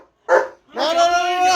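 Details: Pet German Shepherd, provoked at home, lets out one short bark, then a sustained, tonal, whining cry of almost a second that holds a steady pitch.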